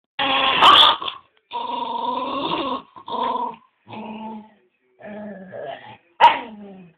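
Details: Pantufa, a pet dog playing with his ball, growls and sings in drawn-out, tonal, moaning bursts, about five separate phrases with short silences between them, and ends on a sharp higher yelp.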